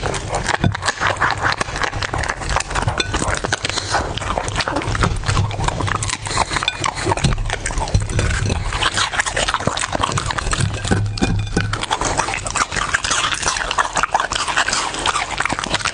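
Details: Domestic dog feeding in a close-miked ASMR eating session, giving a thick stream of crisp crunches and wet bites with a low rumbling undertone.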